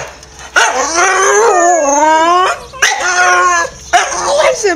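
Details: Staffordshire Bull Terrier, one of several dogs in the home, overly excited as its owner returns from work with the evening walk near: long, drawn-out whining yowls that bend up and down, in three bursts separated by short pauses.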